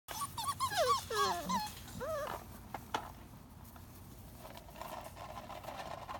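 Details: German Shorthaired Pointer puppies, a litter of six females and three males, indoors; a burst of high, wavering whines and whimpers in the first two seconds, curving up and down, then quieter room noise with faint rustling.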